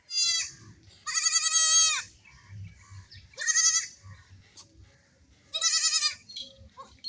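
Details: Three wavering bleats from young goats at play, each a strained, vibrato-laden cry of nearly a second, spaced by quiet gaps carrying low thumps and shuffling.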